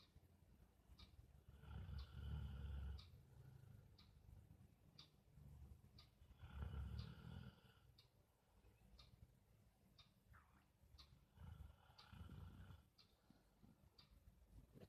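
Low, throaty snores from a sleeping Rottweiler rise and fade in slow, regular breaths about five seconds apart. Faint ticking clicks run steadily underneath.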